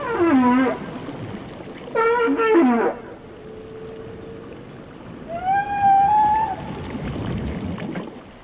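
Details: Whale song with two loud downward-sliding harmonic calls, a long steady tone, then a rising and falling tonal wail, and fainter grunting sounds at the end.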